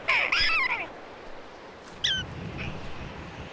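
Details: A prairie dog gives its jump-yip, a burst of high, squeaky yips. It signals that a red-tailed hawk, which preys on prairie dogs, has flown off and it is safe to come out of their holes.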